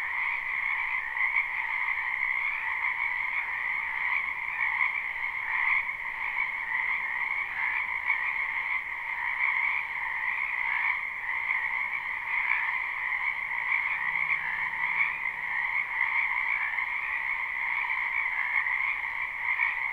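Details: Frogs croaking in a spring wetland behind a house, recorded live without looping: a dense, continuous chorus with steady bands of trilling calls, no gaps, unbroken all the way through.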